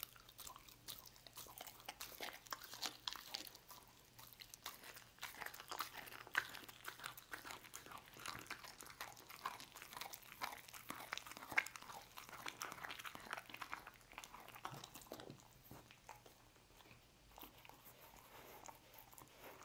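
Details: Roast beef being eaten by Lucy the dog indoors: continuous crisp biting and mastication, quick crackling clicks that thin out slightly toward the end of the recording.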